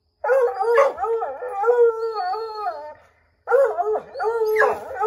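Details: Pack of Redbone Coonhounds baying at a chipmunk up an oak tree, trying to drive it out; sustained rich wavering howls, one lasting about three seconds, then a second howl after a brief gap, voices overlapping.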